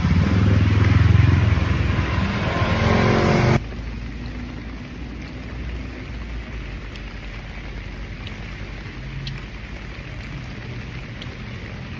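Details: A loud passing vehicle roars for the first few seconds, then fades to a low steady rumble of traffic with no animal sounds.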